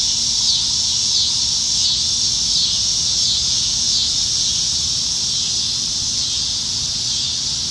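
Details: In Nebraska trees on a July 2019 summer evening, many cicadas drone in a high, sizzling buzz. Thin wavering whistle-like streaks ride on top during the first half, then the chorus settles into an even hiss.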